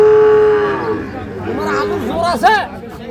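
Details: Sahiwal bull calves for sale at Ambari market, Parbatipur, Dinajpur, Bangladesh, on Monday 9 February 2026; a steady, tonal moo that fades under loud, close market talk and bargaining voices.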